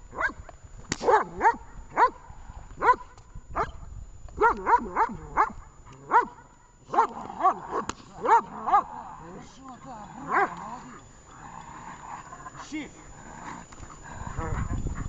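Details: Vesta the dog barks in rapid, uneven bursts through the first half of a training session in Horlivka on 20 July 2019, then fades to quieter muffled whines and rustling.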